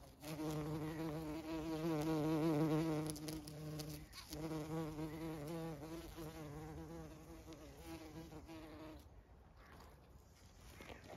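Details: Bees and other pollinators humming in a lime tree in bloom on a regenerative farm in County Kilkenny, Ireland. A close, steady buzz with rich overtones swells loudest around two seconds, wavers, then fades away after about nine seconds.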